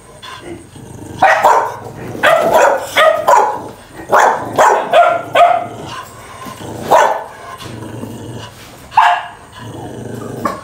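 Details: Dogs barking and snarling in a fight, a rapid burst of harsh overlapping barks around the middle, then single loud barks at wider gaps toward the end.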